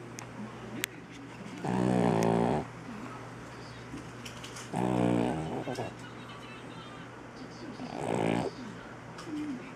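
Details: Sleeping three-legged shop cat A-Jin snoring: three rasping, harmonic-rich inhalations about three seconds apart, each lasting under a second, over a faint steady indoor hum.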